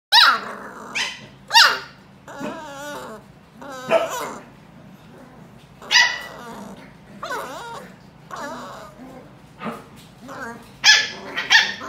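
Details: Two Pembroke Welsh Corgis at a kennel in Samut Sakhon, Thailand, squabble, trading sharp, high barks mixed with growly, whining yips in quick, uneven bursts.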